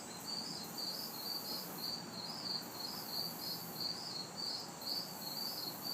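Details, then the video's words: Crickets and cicadas recorded at night in a backyard in the city during hot, humid summer weather. Rapid, regular high chirps, roughly two to three per second, ride over a soft constant hiss and low, distant traffic rumble. "Summer Night Sounds ~ Crickets, Cicadas"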